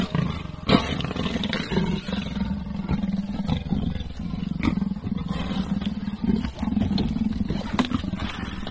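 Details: Leopard pair, father and mother, fighting up in a tree: continuous deep rumbling growls with harsh snarling surges and sharp scraping knocks scattered throughout.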